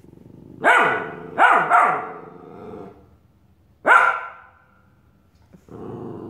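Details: Australian Shepherd puppy barking at his own reflection in a mirror: four sharp barks, a quick double then a single two seconds later, with quiet murmur between.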